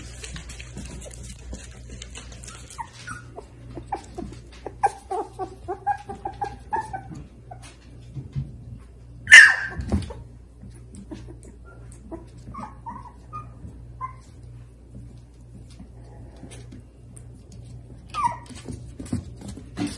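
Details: Miniature Dachshund indoors giving soft, short whimpers and high yips scattered through the stretch, with a few brief tonal whines, one sharp loud knock near the middle, and low room hum underneath.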